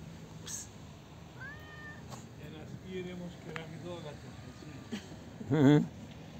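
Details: Friendly street cat, very talkative, met on a street: a short rising-then-level meow early, then a human voice talking and a loud rustling burst near the end, with background street noise.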